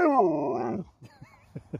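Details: Sherpa, an Alaskan Malamute dog that talks back when spoken to, gives a loud, drawn-out, rich 'woo' lasting under a second. It wavers and then drops away at the end, followed by a few faint soft sounds.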